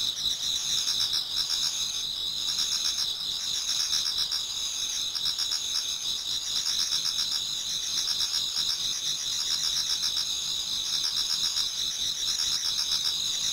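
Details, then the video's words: Many autumn insects singing in a Japanese garden towards dawn: a dense, continuous high-pitched chorus of steady ringing tones layered with rapid pulsed trills that throb several times a second, with no other clear sounds. "Autumn Insects voice Towards dawn"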